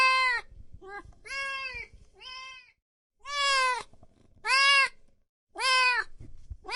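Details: Loud meowing from kittens and cats: six drawn-out, strongly harmonic meows, several rising at the end, separated by short gaps with faint low rumbling and handling noise underneath.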